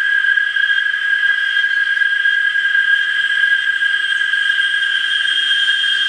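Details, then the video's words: A chorus of cicadas in Parque del Bicentenario, San Salvador, El Salvador, fills the air with a steady, shrill, unbroken buzzing drone. "Concierto de Chicharras"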